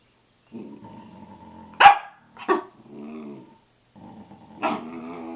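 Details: Samoyed early at 6:00 a.m.: a soft moan breaks into two sharp barks, a brief warbling groan follows, and a final yelp slides into another moan.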